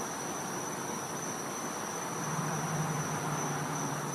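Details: Cicadas in a Florida back yard on a winter night give a steady high-pitched ringing tone, while a low droning hum rises in the second half beneath the hiss.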